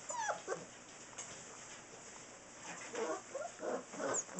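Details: Six-week-old Saint Bernard puppies give short, high whimpering yips in scattered bursts, several rising and falling squeals close together near the end, over a steady background hiss.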